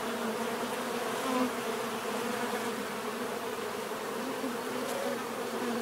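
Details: Bees buzzing in a continuous even drone, with a few individual insects passing nearer as short louder hums, including one around the second mark.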